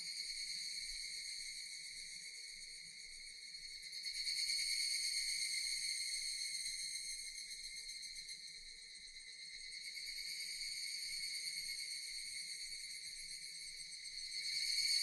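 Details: Japanese cicadas in a relaxing nature recording, a continuous shrill, metallic buzzing drone with stacked high tones, pulsing rapidly and swelling louder around the fourth second and again near the tenth and the end.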